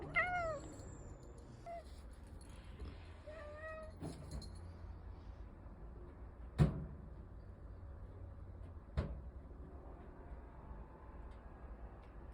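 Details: A cat meows as someone asks whether to open the door. It gives one descending meow, then two softer short calls, followed by quiet room noise with a couple of sharp knocks.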